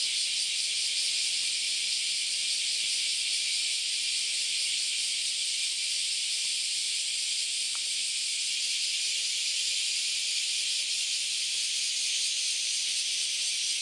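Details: Many cicadas singing on a Sunday morning in August on the Philosophy Path in Kyoto, Japan: a dense, continuous high hissing buzz without pause, one brief click midway.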